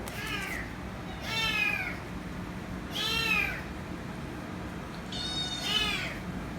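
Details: Kitten meowing loudly and insistently while demanding head rubs: four strained, harmonic-rich meows roughly every one and a half seconds, each rising then falling, over a low steady background hum.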